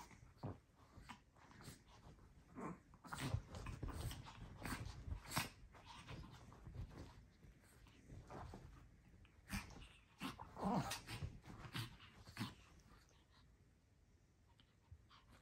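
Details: Two tiny Chihuahuas, Cooper and Daisy, play-fighting indoors on a bed before bedtime, wrestling and hopping. Soft low grunts and growly huffs come in bursts amid rustling bedding and thumps, with quieter pauses between rounds.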